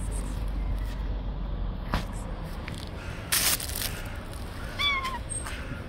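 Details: Friendly stray cat living on the street gives a single short rising-then-falling meow near the end, over steady outdoor background hum with a few clicks and knocks.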